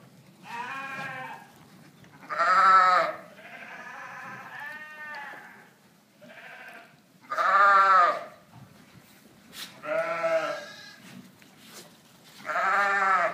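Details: Flock of South African Dorper sheep on a ranch, giving strong, tremulous bleats about every two seconds, some higher and shriller, others lower and hoarser, with a faint steady background hum.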